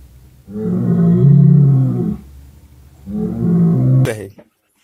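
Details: Two long, deep cattle moos, the first stronger and the second softer, ending with a sharp click.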